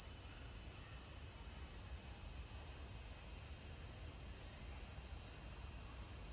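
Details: Cicadas fill the air with a steady, high-pitched shrill drone that never breaks, recorded at Meiji Shrine on 17 September 2018.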